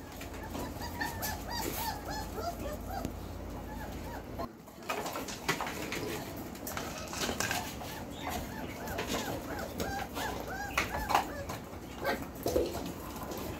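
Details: Four-week-and-four-day-old Belgian Malinois puppies, Beastie/Barron litter born 9/26/2021, whine and squeak almost continuously, overlapping rising-and-falling cries from several pups amid shuffling and handling noises.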